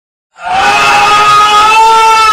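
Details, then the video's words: A white baby goat screams in one long sustained cry, strongly harmonic and slightly rising, held for about two seconds after brief silence, loud and steady throughout. "baby goat scream is very cute"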